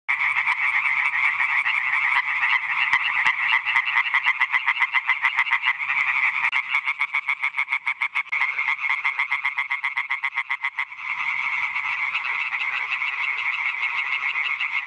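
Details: European tree frogs calling: dense rapid croaking at roughly four pulses per second, harsh nasal notes overlapping from several frogs in a continuous chorus, brief slightly sparser stretch midway.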